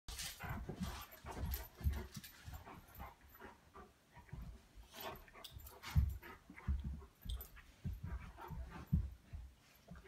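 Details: Two Old English Sheepdogs play together with low, rumbling grumbles and huffy breaths in uneven bursts.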